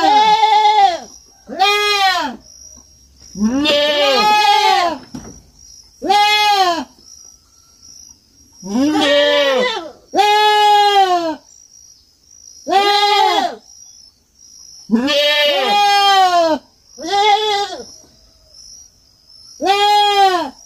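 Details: Kid goat bleating on a farm, calling repeatedly: about a dozen loud, quavering, arched bleats, each roughly one second long, coming every one to two seconds with short silences between, over a faint constant high-pitched hum.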